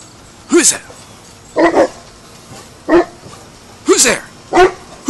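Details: Hannah, a dog learning her guard duties, gives short, rising-then-falling barks separated by pauses, while a person repeatedly asks "Who's there?" in between.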